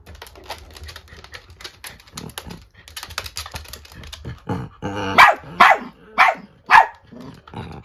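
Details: Angry female Chiweenie, a Kaninchen dachshund and chihuahua mix born 2020, facing off against an old female miniature dachshund indoors; clicking and scuffling sounds first, then four sharp, loud barks about half a second apart with soft growling between.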